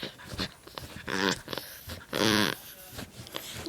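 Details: Pomeranian-Welsh Corgi mix dog indoors making a funny noise: two drawn-out, strained harmonic groan-whines, the second louder and about half a second long, amid scuffling and clicks, followed by a person speaking.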